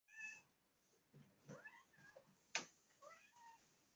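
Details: Kitten coming curiously up to the camera indoors, giving a few faint, short, high meows with a bent, sliding pitch, spaced over a few seconds, plus a sharp click.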